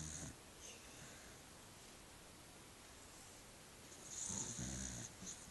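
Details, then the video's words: Sleeping dog named Austin snoring indoors in a small room, a breathy rasping snore with low rumble rising near the end, soft bursts of airy noise between breaths. "Snoring Dog"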